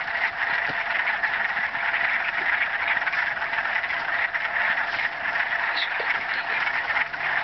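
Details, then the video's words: Marsh frogs at Mills Block Forest, Thunder Bay, calling in a mating chorus: many overlapping rapid croaking trills forming a loud, even drone, with a faint brief higher sound partway through. "Frog Mating Song in the Marsh"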